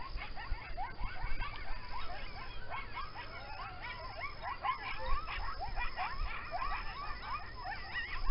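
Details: Coyotes chorus close by near a home, rarely seen but often heard, overlapping wavering howls and sharp yips into a continuous high-pitched clamor.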